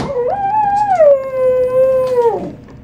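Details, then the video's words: Toy poodle singing for a person: a rising onset into a long, steady, tonal howl that dips slightly and holds for over two seconds, then drops away. "the singing toy poodle"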